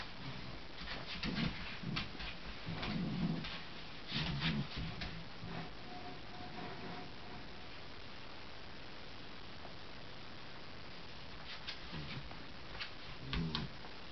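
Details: Indoor West Highland White Terrier growls while trying to pull his polar bear rug out from under another, indifferent Westie. He gives short, low, rough grunting growls in scattered bursts, with a faint whine between.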